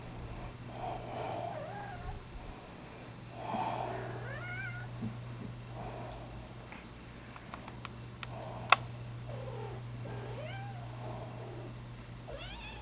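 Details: Penny, a seven-month-old rescue cat, almost pure Bombay, mothering her squeaky monkey and mouse toys indoors; soft, scattered arched meows rise and fall over a steady low hum, with a sharp click midway.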